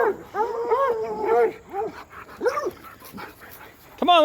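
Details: Hound dogs racing along a fence, giving repeated arched howling bays and yips in quick bursts, with a person calling and talking nearby.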